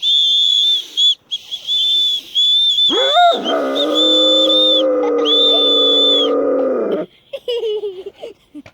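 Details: Caucasian Shepherd Dog singing along as children blow a whistle: shrill steady whistle blasts, then a sustained, rich, mid-pitched howl lasting about four seconds that holds level before breaking off, with further whistle toots after it.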